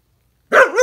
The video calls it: Malamute husky barking